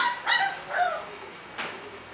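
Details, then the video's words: Short falling whimpers from bulldog puppies at a Florida kennel: two close whines, a pause, then a third fainter cry against a low hiss. "bulldog puppies"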